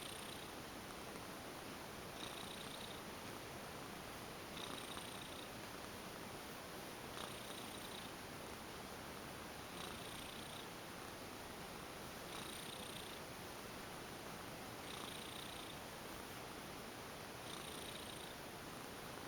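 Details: Relaxed female house cat, once a stray, going limp under a massage and purring continuously, a dense even rumble with regular breathy swells roughly every two and a half seconds, indoors with no other sounds.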